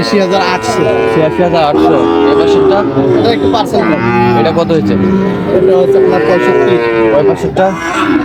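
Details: Sahiwal cattle at a crowded livestock market in Barishal, Bangladesh: several drawn-out moos in overlapping succession across the stretch, amid constant crowd noise and people haggling over prices.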